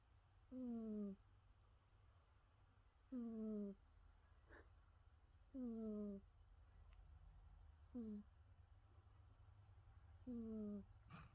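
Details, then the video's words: Sleeping cat Jasper snores steadily, each breath a short whistling, downward-sliding nasal tone with an airy hiss, recurring about every two and a half seconds over quiet low background hum. "You can hear our cat Jasper snoring"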